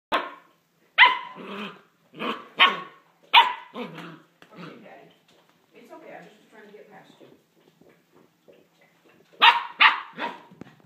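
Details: Cosette, a six-week-old black female Standard Poodle puppy born November 8, 2013 in Colorado, gives sharp, high yappy barks in quick bursts near the start, then softer muffled yelps and whines, before a final cluster of loud yaps.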